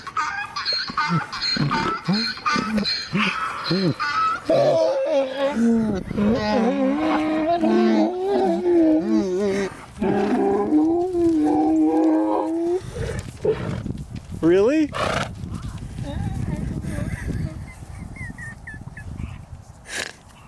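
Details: Donkeys reacting to a donkey-bray notification sound on a phone, which once set them off hysterically, bray back with a loud, see-sawing hee-haw that swings between high and low pitches.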